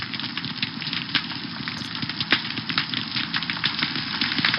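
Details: Snapping shrimp underwater, many species all over the place, their claws snapping fast enough to form a stunning cavitation bubble; a dense, steady crackle of countless sharp clicks, fizzing like champagne, with no other clear sounds.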